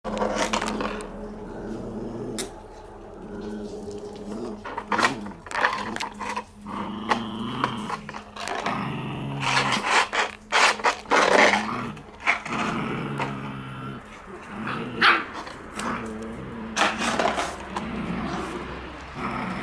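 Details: Shiba Inu puppies at outdoor play on January 17, giving low rough growls and rumbling grunts in short bursts, mixed with scuffling and sharp clattering knocks throughout.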